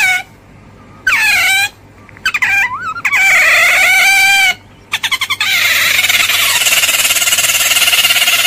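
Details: Otter giving shrill, harmonic squeals in short bursts, some rising then falling, broken by abrupt silent gaps and a quick stutter of clicks, then running into a long, steady, harsher whining squeal over the last three seconds.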